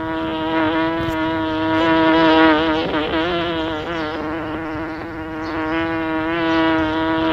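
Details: Steady buzzing of a bee near the microphone, a rich humming tone that wavers and bends a little as it manoeuvres, volume gently rising and falling; no background sounds.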